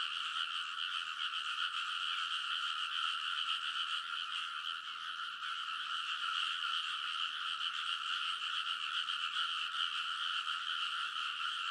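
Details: Many frogs calling in a great chorus along rice-field ridges in Konosu, Saitama, Japan, late at night in early summer, captured with a TASCAM Portacapture X8: constant rapid, rattling croaks layered into a steady drone, slight dip midway.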